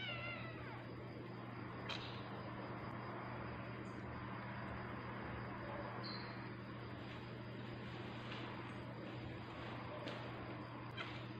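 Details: Tabby cat giving birth, with faint, falling meows near the start over a steady low electrical hum and soft background rustling.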